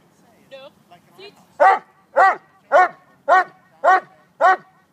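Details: Male Neapolitan Mastiff doing bark-and-hold during bite-work training gives six loud, deep barks about every half second, each harmonic and evenly spaced, after a few short voiced sounds at the start.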